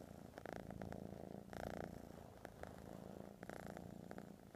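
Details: Close, quiet purring of a house cat, a low buzzing rumble that swells and eases in regular breath-paced pulses over a few seconds.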